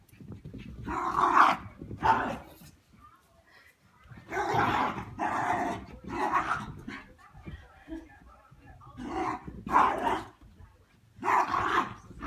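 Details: Cairn Terrier puppy playing with an adult Cairn named Whiskey and Charlie; loud bursts of barks and growly yaps in clusters, separated by short quiet gaps, with a person's voice telling the dog not to bark.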